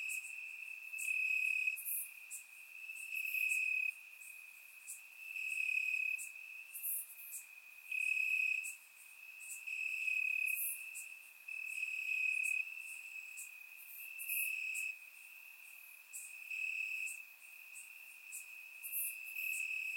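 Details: Summer night in Bulgaria with many crickets chirping in grass; recorded by surround microphone, the steady shrill trill swells and fades repeatedly every couple of seconds, joined by fainter overlapping higher calls.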